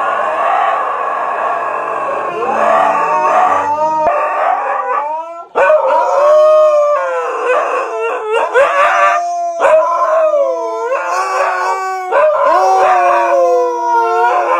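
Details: Siberian Husky throwing a fit at not being let out, howling almost without pause in long, wavering, sliding tones, rising and falling, with brief breaks between drawn-out cries.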